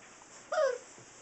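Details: Six-week-old Saint Bernard puppies; one brief whining yelp, tonal with stacked harmonics and a slight downward bend, lasting under half a second against faint steady background hiss indoors.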